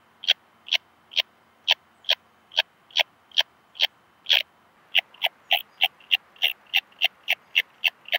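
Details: Purple Meadow Bush-cricket singing in Muhrtal, Austria, on 9 October 2020, picked up with a Pettersson D 100 ultrasound detector. Short, crisp chirps come about twice a second, then quicken to a faster, slightly uneven series.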